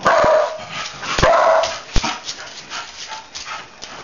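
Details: Dog gives a couple of harsh barks close together at the start, then the sound fades into lower, scattered noise and faint yips.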